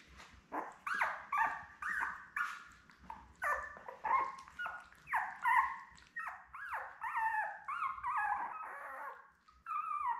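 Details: Indoors, Labrador Retriever puppies from a litter of seven born May 24, 2021 to Belle give a long run of short squeaky whimpers and yelps, each bending up then down, close together for ten seconds.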